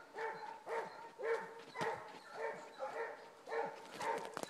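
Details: Basset Hounds on a rabbit trail baying, short harmonic bawls repeated roughly twice a second, some overlapping, with a voice faintly heard.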